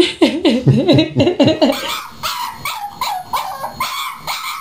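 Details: Puppy barking indoors: about eight quick yappy barks with bending, yodel-like pitch in under two seconds, then a string of higher, softer whimpering yelps repeated about twice a second.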